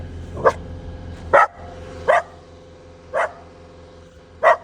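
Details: A pet dog reacting to a noise barks five times, short sharp barks spaced roughly one second apart, over a constant low mechanical hum.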